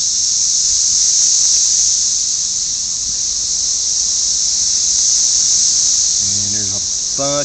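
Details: Millions of red-eyed cicadas mating-calling around a house, where they leave their shells. A loud steady high-pitched buzzing drone fills the air, and a man talks over it near the end.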